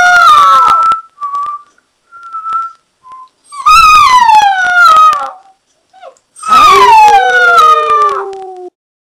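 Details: Alaskan Malamute howling in two long, loud bouts, each sliding downward in pitch with strong harmonics. Between them come short whistled tones, as if the dog is replying to a whistler.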